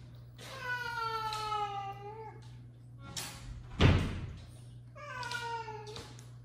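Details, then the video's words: Father cat scolding mother cat at home: two long falling meows with a loud thump or knock between them, and a steady low hum underneath. "Dad cat decided to scold mom cat"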